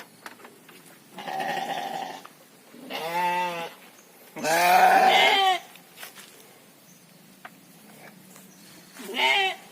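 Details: Domba or gibas sheep raised for three-month fattening on a farm: several loud bleats with stacked quavering harmonics, each about a second long, spaced a second or two apart, with faint clicks and shuffling between calls.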